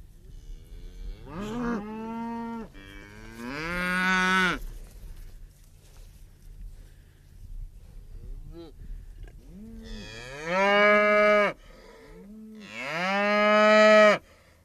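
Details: Several moos from a cow over a low background rumble. There are short rising calls early on, a quieter stretch in the middle, then two louder drawn-out bellowing moos near the end.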